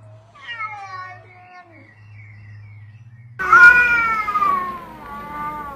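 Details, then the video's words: Alley cats fighting: a drawn-out, wavering yowl rises and falls, then after a low steady hum a louder, harsher wail breaks in and slowly sinks in pitch. "Deadly Cat Fights"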